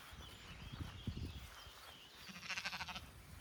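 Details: Sheep on a home animal farm with baby lambs: one short, wavering, pulsed bleat near the end, after low thumps and rustling from movement, with faint high chirps in the background.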